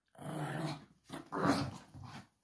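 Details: Pug in a small room, worked up while playing and keeping hold of a slipper, producing two sustained, low, throaty growls with a steady buzzing tone, the second swelling louder before fading.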